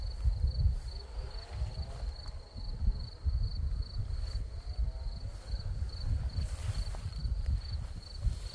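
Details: Many crickets chirping among red poppies in Crimea: a steady, high, evenly pulsed trill repeating several times a second throughout, over heavy low wind rumble.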